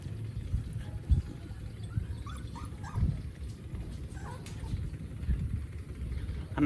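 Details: Puppies in Siem Reap, Cambodia, drinking milk in the morning; a few faint, short, high whimpering yips rise and fall near the middle over a steady low rumble of background noise.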